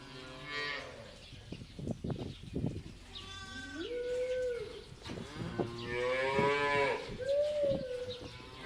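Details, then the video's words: Cows free to graze in pasture give short and drawn-out lowing moos, some bending upward then falling, mixed with sharp knocking and thudding sounds in the first few seconds. "Cows Funny Sound Effect"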